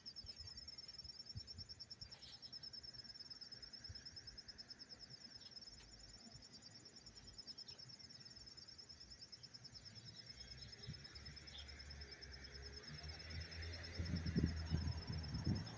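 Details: Cricket recorded up close in Tarrytown, New York, on September 27, 2023: a faint, steady, high-pitched pulsing trill runs throughout, with soft low rumbling and a brief louder rustle near the end.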